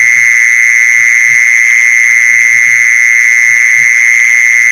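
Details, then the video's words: High, unwavering mole cricket trill meant to attract mole crickets, running without pause, accompanied by scattered quiet low knocks. "เสียงแมงจีซอน #ล่อแมงจีซอน"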